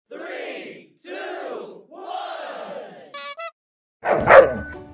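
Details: Shiba Inu cornered by a Labrador gives a cat-like meow: three drawn-out, arching wails of about a second each, followed by a brief electronic beeping tone and a sudden crashing noise.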